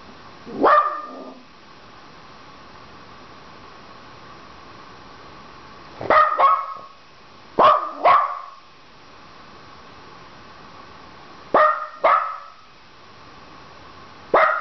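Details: Penny, a pet Dachshund, barks indoors because she wants the phone answered. Sharp single and double barks come in bursts several seconds apart, with quiet room tone between them.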